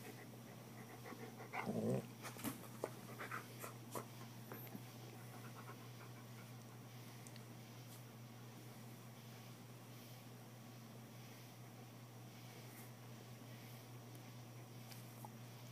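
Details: A giant, bear-faced pet dog playing indoors, mock-chewing a person's hand; a short scuffle of rough breathy bursts near the start, then soft, faint rhythmic panting over a steady low electrical hum in a small room.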